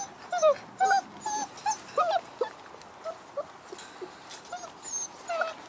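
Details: Six-week-old Frenchie x wolf puppies whimpering and yipping: thin, squeaky whines that bend up and down, coming in quick bursts about twice a second, with a few brief louder yelps and soft background rustling.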